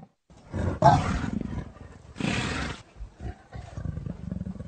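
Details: Leopard calling with harsh, breathy roaring bursts, two louder rasps separated by low rumbling growls, the sound continuing unevenly throughout.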